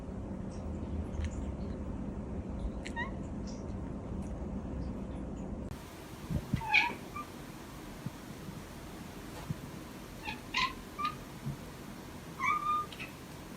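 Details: Domestic cat making several brief, soft meows in the second half, short harmonic chirps spaced a second or two apart, after a stretch of low background hum with a few faint clicks.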